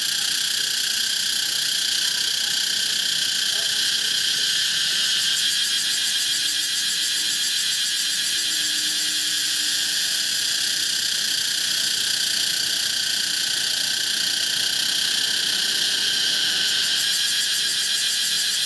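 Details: A Pompania cicada drones without pause for nearly nineteen seconds. The whining, shrill buzz keeps a throbbing rhythm, with a faint low tone briefly beneath it midway.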